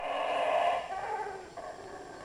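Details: Monkeys passing through the jungle in Belmopan, Belize, in 2006: a loud, harsh, continuous roaring chorus with a broad rasping tone, strongest in the first second, then easing to a softer drone.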